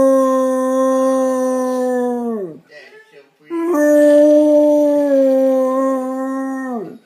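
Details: An 11-year-old Basset Hound howling, or singing: two long, steady, mellow tones with rich overtones, each held for about two to three seconds and dropping off at the end, separated by a short pause.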